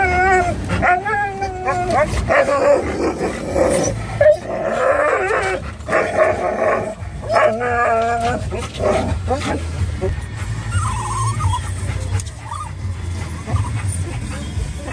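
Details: Three excited dogs, a Norwegian Elkhound mix, a Labrador mix and a Rat Terrier, in a car heading to a pet store; wavering high whines and howls overlap with sharp barks, engine rumble beneath, calls tapering into sparse whimpers near the end.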